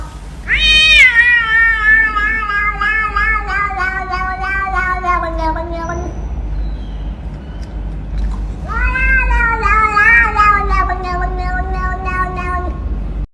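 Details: A domestic cat (Felis catus) yowls twice, each long, drawn-out yowl sliding slowly downward, with a pause between them.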